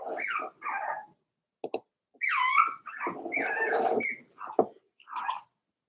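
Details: Daisy's litter of Cavalier King Charles Spaniel puppies, four weeks old, in an indoor pen: a run of whiny whimpers and higher yelping cries, some long and wavering, with short gaps and a click or two.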